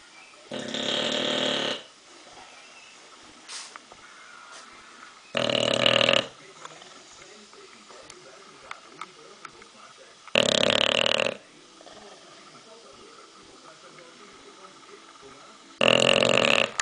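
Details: A sleeping English bulldog snores in loud, raspy rushes about every five seconds, with quiet breathing between.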